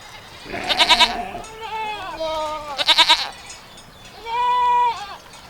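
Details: Goat giving repeated quavering bleats, two strong trembling calls about two seconds apart, mixed with a voice drawing out the word goat.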